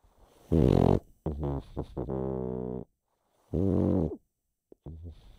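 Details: Sleeping pug named Chip snores. A harsh snort gives way to a sustained low droning exhale, then another raspy snort follows, with brief quiet gaps between breaths.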